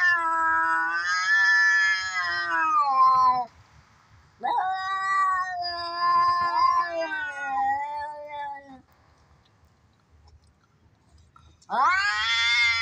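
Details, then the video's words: Cats fighting, a sound meant to be played to tease cats: long wavering yowls, harmonic and drawn out, one sliding up, in three bouts with a pause near the end before a sharp rising wail. "เสียงแมวกัดกัน เสียงแมว ใช้เปิดแกล้งแมว"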